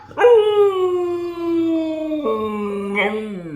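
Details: Husky dog vocalising to its owner as a hello: a single sustained, slightly falling moan held for about two seconds, then stepping down in pitch with a short upward lilt near the end.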